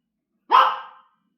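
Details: Pet dog named James, too scared of a massager to eat his treats, gives a single sharp bark indoors, loud and brief with a quick fade, in an otherwise quiet room.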